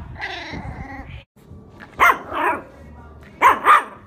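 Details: Shiba Inu dog: a drawn-out harmonic whining cry for about a second, a short pause, then two pairs of sharp, loud barks around the two- and three-and-a-half-second marks, with faint background sound, possibly music.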